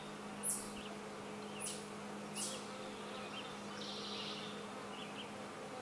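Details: Leafcutter bee at its nest chambers in old holes of a brick wall, a continuous even low drone throughout, while a few sharp, very high chirps ring out in the first half.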